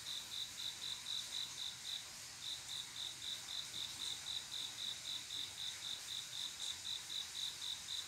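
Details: Summer-night cricket, a male calling a mate; rapid high chirps about four per second, briefly interrupted around the two-second mark, then continuing evenly to the end.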